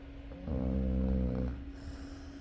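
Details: Sleeping Chow Chow dog gives one deep, rattling snore lasting about a second, rich in low harmonics, against a constant faint background hum.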